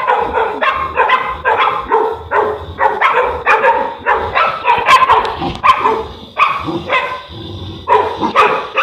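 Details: Boerboel (South African Mastiff) kept in Egypt, from the pair Enzo and Diva, barking almost nonstop in rapid overlapping woofs with some higher yelps mixed in, over a continuous low background hum.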